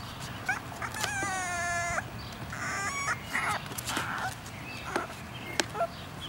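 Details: English Bulldog puppies in a basket outside, giving high whimpering whines with stacked harmonics: a drawn-out whine lasting about a second, then shorter yips and squeaks, over soft rustling and outdoor background noise.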